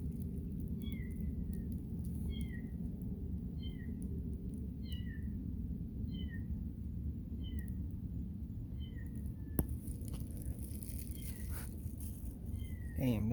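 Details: Mother cat with her kitten: high, short mews that slide downward, repeated about every second, over steady low rumbling background noise, with a sharp click near the end.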